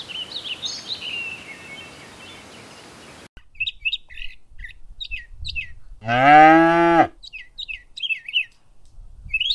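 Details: Cows on a green countryside meadow searching for food; one strong, low, slightly rising-then-falling moo lasting about a second, with short bird chirps scattered before and after it.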